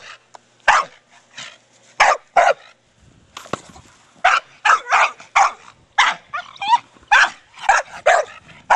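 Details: Playful barking from Brogan, a four-year-old Staffie, busy with his big hard plastic ball. Sharp single barks at first, a short lull with soft knocks, then a quick string of barks and a few yelping notes toward the end.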